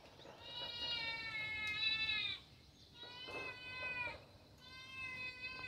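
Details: Khao Manee cat mom, mother of four kittens, lounging on a wall in the shade of a banana tree; three clear, drawn-out meows, the first longest, each bending slightly downward, with quiet gaps between.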